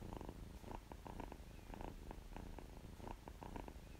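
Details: Purring of a kitten that feels good: low buzzing rumble in steady pulses, each breath cycle swelling roughly twice a second, with light ticking noises above.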